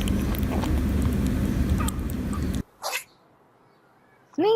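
A rabbit licks its lips with soft wet smacking, then gives one quick, breathy sneeze.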